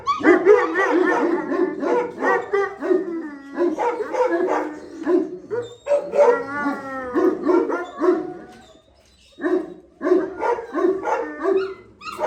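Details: Gultair (Gull Terrier) dogs at a kennel, a male and a pregnant female: dense, overlapping barks and yelping howls run almost continuously, with a brief pause near the end before barking resumes.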